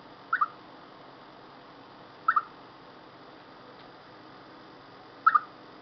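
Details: Ahead of bad weather, a chipmunk gives three brief two-part chirps at uneven gaps of roughly two and three seconds, each a pair of clipped mid-range notes, with faint constant hiss behind.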